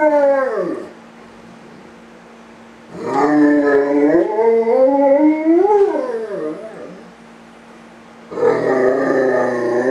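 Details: A Great Dane, home alone and missing its owner, gives long, rich howls that swoop down, rise, then waver and fall.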